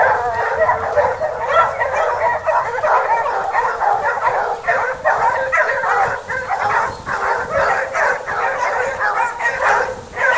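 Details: Several Basset Hounds from the French kennel Rallye de l'Allagnon following a scent trail, giving a continuous overlapping chorus of excited baying barks and yelps with no pauses.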